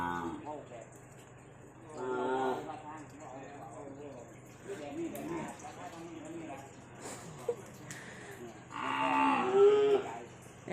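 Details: Several wavering, harmonic calf moos rise and fall between stretches of a woman's Thai speech as ten calves arrive at a pen in Khon Kaen. The loudest call comes near the end.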